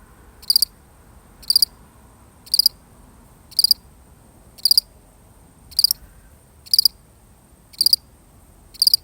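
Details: Single lonely cricket, real recording, chirping in a steady rhythm: nine short high pulsed chirps, about one each second, sharp and evenly spaced over a quiet background.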